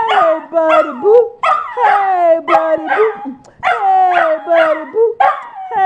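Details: Spike the dog sings Happy Birthday to himself, giving short yodelling howls that rise and fall in quick repeated phrases, with yips in between and voices singing along.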